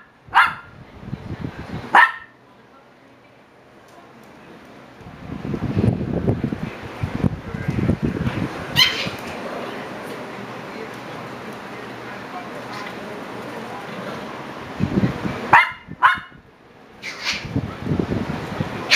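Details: Shiba Inu pups, seven weeks old, give scattered sharp yips: two early, then a long stretch of low rumbling and scuffling, then two more short high yelps near the end.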